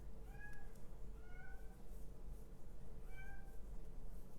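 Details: Kitten, male, outdoors and wanting to come in, meowing insistently: three clear, tonal, slightly wavering meows spaced about a second or two apart, each with stacked overtones, over a steady low indoor hum.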